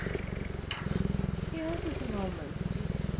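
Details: Young male cheetah, described as laid-back and going through the terrible twos, purring in a deep rapid pulsing rumble; a person speaks briefly over it midway before the even throb resumes.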